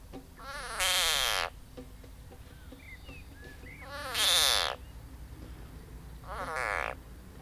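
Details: Edible frog (Pelophylax kl. esculentus) being swallowed by a grass snake (Natrix natrix) gives three loud, drawn-out screams about every 2.5 seconds, each harsh and wavering, with small chirps between them.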